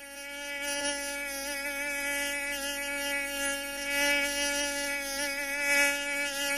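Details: Mosquito. A mosquito gives its familiar high, whining buzz, a continuous nasal drone from the beating wings. The pitch stays almost level and swells only slightly in loudness.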